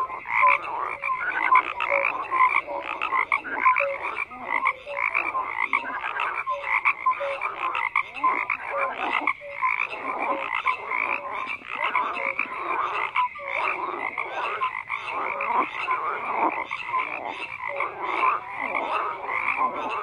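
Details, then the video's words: Frogs croaking in a dense overlapping chorus, pulsed rasping calls stacked thickly with short tonal notes scattered throughout, steady and unbroken for the whole stretch. "FROGS CROAKING"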